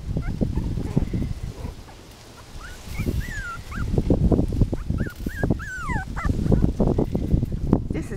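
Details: Six Miniature Pinscher puppies, five weeks old, playing together and eating; a run of high, bending whines and squeaks repeats in the second half, with steady patter and scrabbling of paws throughout.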